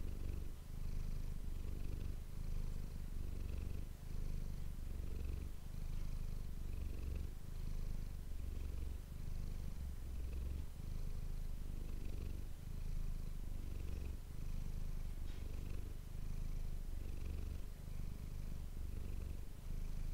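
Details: Purring domestic cat Manis captured up close with an ASMR microphone in a small room: unbroken low throbbing drone, alternating inhale and exhale phases about every one to two seconds, a few faint clicks.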